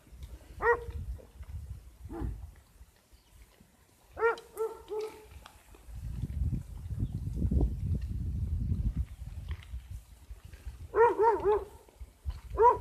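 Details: Sheep giving short bleats, some tremulous and stacked with rich overtones, spaced a few seconds apart, then a burst of overlapping bleats near the end; low rumbling noise fills the middle.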